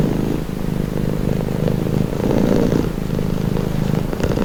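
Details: Close, steady cat purring meant for relaxing listening: a low, throaty vibration swelling into a louder breath mid-clip before settling back, uninterrupted.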